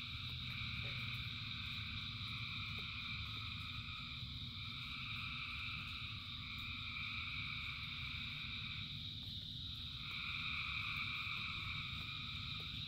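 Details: Rainy-night frog chorus, thousands of frogs singing together as an unbroken, ringing drone in several high bands, one band swelling brighter near the end, while rain keeps up a constant low roar.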